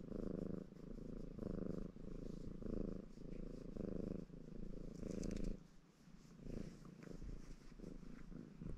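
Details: {'caption': 'Ginger Maine Coon cat Baron, purring in good spirits while washing; deep buzzing purr swelling and easing with each breath, about one cycle per second, quieter toward the end with light grooming sounds.'}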